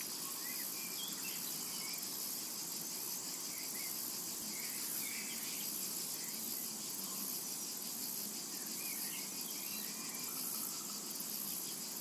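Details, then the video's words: Steady, piercing insect drone from cicadas in a summertime meadow, never pausing, with a few soft twittering bird notes now and then underneath. "Summertime and Cicada Ambience"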